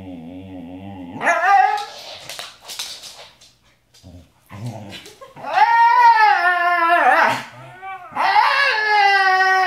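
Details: Pet Siberian Husky indoors, singing in long wavering howls: a low moaning start rises into bright harmonic howls, a short break, then sustained warbling howls with quavering pitch bends through the later seconds.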